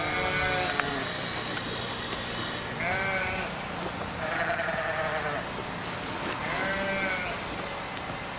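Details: Lamb among many kids and lambs on a farm being treated to fresh grass, giving short wavering bleats at about 3, 4.5 and 7 seconds against steady background noise and faint music.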